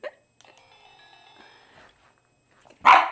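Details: Single sharp bark from Bella the Boston Terrier, upset at the business end of a Sailor Moon crescent moon wand, following a short burst of electronic toy music and chimes.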